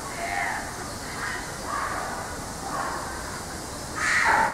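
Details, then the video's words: Racky, a white-naped mangabey (Cercocebus atys lunulatus), gives a series of hoarse, rising-falling vocalizations roughly every second, ending in a louder, harsher call. "Racky's voice"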